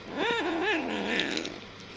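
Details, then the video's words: Very hungry kitten gulping its food lets out a quick rising-falling mew followed by a second wavering, drawn-out whine that slides downward and fades. "صوت القطة الصغيرة وهى تأكل بشراهة وبسرعة من شدة الجوع"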